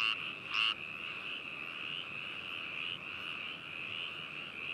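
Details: Frogs calling in Hakushu, Hokuto City, Yamanashi, Japan, recorded binaurally on 4 May 2018 with a ZOOM H2n: a dense, steady chorus of high trilling croaks with overlapping voices and a brief loud scrape near the start.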